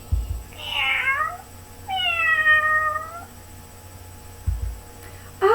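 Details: Domestic cat meowing, played in a children's lesson on telling animal sounds apart: two drawn-out meows with falling, then level harmonic bands, a short faint call at the end, with soft thumps in a small room.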